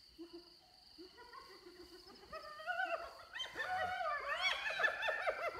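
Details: A hyena dispute over an impala kill taken from the leopard Little Bush and her cub, near Selati Camp. Thin whines build into loud, overlapping, rising and falling squeals and yelps.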